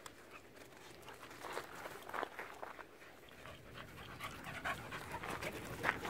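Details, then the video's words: Dogs at play on a hiking trail after meeting another dog; fast, breathy, irregular panting with soft whimper-like edges, rising louder near the end. "Dogs playing at hiking trail"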